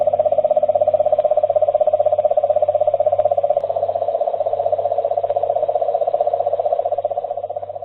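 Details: A cane toad's advertisement call, the most obvious sign of toads in an area, recorded for detection in far northeast South Australia: a long, steady, low trill like a purring engine, pulsing rapidly without a break.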